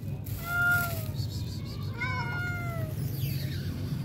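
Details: Hungry stray cat: two clear tonal meows, the first falling at the start and the second longer and sliding down around two seconds in, over a low background hum and light rustling.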